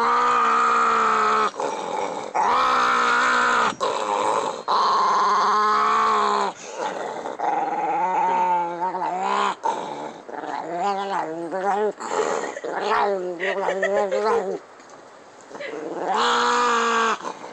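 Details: Pancho, a pet dog, makes weird noises while growling: long, rough, harmonic-rich growls and groaning, wavering vocalizations in bursts of one to three seconds with short gaps, pitch bending up and down through the middle section.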